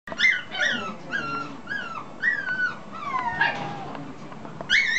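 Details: Long-coated Chihuahua puppy, a small black, tan and white male born 8 May 2014, from a breeder in Chiba, Japan. It gives high, thin whines that arch up then slide down, repeated every half second or so, with brief pauses.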